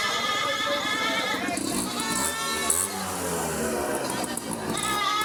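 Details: Totapuri goats offered for sale give wavering, harmonic-rich bleats, several overlapping calls rising and falling in close succession, with human voices talking underneath throughout.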